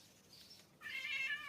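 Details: Household domestic cat, an older resident female, gives a single drawn-out nasal meow with rich harmonics in a quiet room, following a fainter high sound.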